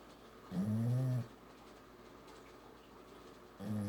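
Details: Sleeping dog snoring indoors: a deep, rasping, humming snore lasting under a second, then quiet breathing, with a second snore starting about three seconds later.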